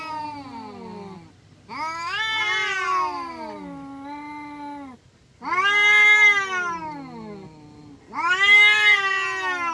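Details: Two or more village cats fighting, exchanging loud, harmonically rich yowls. Four long wails come in bouts with brief pauses between them, several sliding downward in pitch and others wavering at a high, strained pitch.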